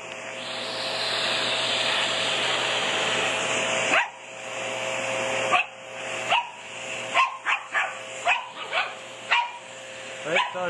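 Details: Shih Tzu reacting to a vacuum cleaner: loud motor roar for four seconds, then the motor drops and a series of quick, sharp barks follows, some in rapid pairs.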